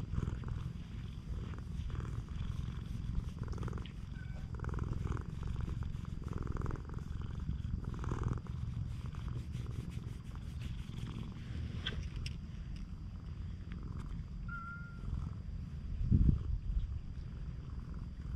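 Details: Cat island stray seeking affection purrs deep and steady for a long stretch. The rumble stays even, with brief rustles and one sharp thump near the end.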